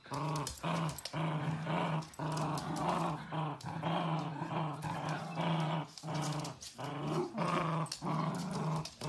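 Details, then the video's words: Playful Dachshund puppies growl in a steady, low, rumbling stream broken by short pauses, with grunting breaths and scuffling indoors. "Sausage dogs puppies Video compilation Funny Playful Cute video"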